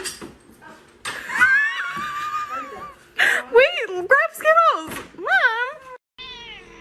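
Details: Domestic cat meowing indoors: a quick run of short, bent meows, each rising then falling, packed into about three seconds. A person talks before the meows start, and a steady faint tone lingers at the end.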